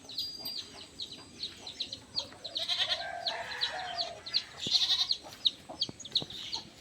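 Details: Goats on a farm, said to be inside their shed, give drawn-out, wavering bleats midway through, over constant high, rapid chirping from small birds or chicks and a person talking nearby.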